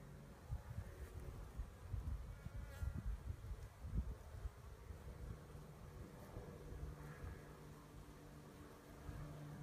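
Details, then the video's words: Honey bee swarm being collected by beekeepers in Poland: a low, rough, fluctuating drone of many bees, with soft thuds and handling noise rising and falling throughout. "Rój pszczół ściąganie"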